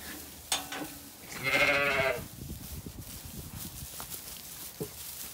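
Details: On a sunny day in County Kilkenny, Ireland, lambs turned out to play on a regenerative farm pasture; a loud, nasal, quavering bleat rises and lasts nearly a second, amid scattered knocks and rustling.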